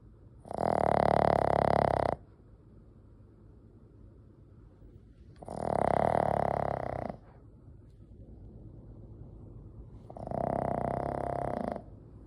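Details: A Boston Terrier, ten years into its life, snores as it sleeps. Three heavy, rasping snores, each lasting over a second, come roughly every four to five seconds. The last one is slightly softer, and faint breathing fills the pauses.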